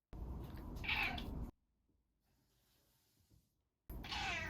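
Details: Pet cat Ran-kun meowing indoors, either wanting out of its cage or asking for food; two loud, strained meows, the first over a second long, then a near-silent gap before a second meow begins.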